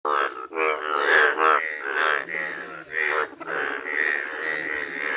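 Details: ['Yellow Indian bullfrogs in a village, several croaking at once in a dense, overlapping run of nasal, buzzy harmonic croaks with barely any pause, the chorus swelling and easing over five seconds.']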